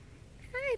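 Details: Yorkshire Terrier puppy, 15 days old with its eyes newly open, in Michigan, gives one short high whine that rises then falls over about a quarter second, with a soft human voice nearby.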